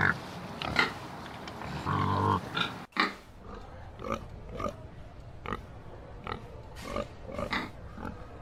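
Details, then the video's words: Pig with a loud, rough noise at the start, then a steady series of short, soft grunts spaced about half a second to a second apart over low background noise. "Pig Says. Pig Makes Funny Noises. Pig Sounds. Learn The Sound A Pig Makes"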